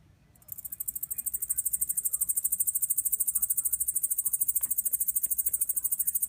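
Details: Japanese bush katydid originating from Kyushu, Japan: song begins after a brief silence, quickly swelling into a loud, shrill, evenly pulsed buzz that continues without a break; faint low rumble beneath.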